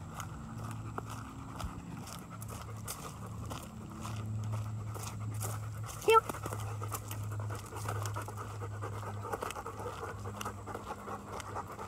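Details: Dogs off leash outdoors, panting steadily as a soft rhythmic breathy pulse throughout, with a low hum underneath and a brief sharp click near the middle.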